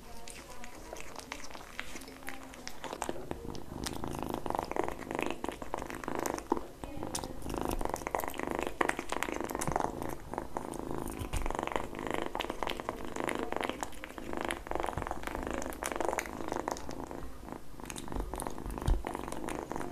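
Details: Kitten eating in a small indoor space purrs throughout, a continuous buzzy low vibration layered with loud smacking bites and licks, a brief tonal vocal sound early on, and faint background voices.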